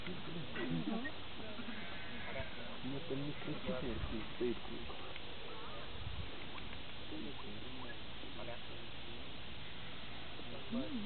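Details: Organic sheep in Sweden being herded by a dog, giving a series of overlapping, wavering bleats from several animals, some low and some higher, while a man talks in Russian over them outdoors.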